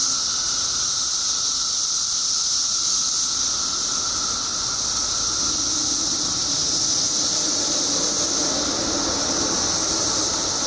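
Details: Chorus of periodical cicadas, billions strong, out after 17 years underground in Illinois. A steady shrill buzzing wall of sound with a softer lower whine, and some low rumbling noise building in the second half.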